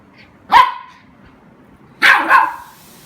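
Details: Golden Retriever puppy playing with a water spray: two sharp, bright barks about one and a half seconds apart, the second doubled, in a quiet setting.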